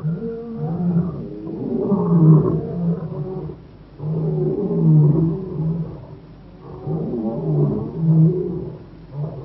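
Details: Wild young male African lions near Boyela Waterhole, Kruger National Park, South Africa, roaring in long, low moaning bouts about two seconds each, separated by short breaths, the rhythm rising and falling three times.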